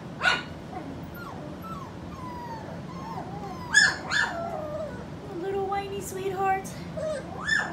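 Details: Skittles' puppies, four weeks old, make a string of thin rising and falling whines broken by a few sharp yelps, with a soft voice murmuring underneath.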